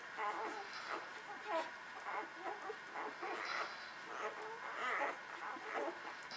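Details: Several newborn puppies of the Beretta Jericho litter whimper while nursing; thin, wavering squeals rise and fall in quick overlapping bursts, some bending downward, over a soft background hiss.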